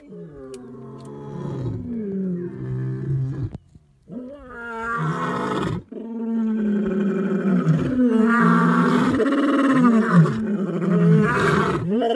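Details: Three male lions in Africa roar together to protect their territory, deep, rumbling, overlapping bellows that swell and fade.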